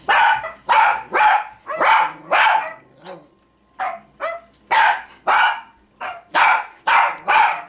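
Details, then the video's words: Female Cavalier King Charles Spaniel barking indoors at another Cavalier shown on screen: a rapid run of sharp, loud barks, about a dozen in eight seconds, with a short pause and a few softer yips near the middle. "Barking at another Cavalier on Youtube"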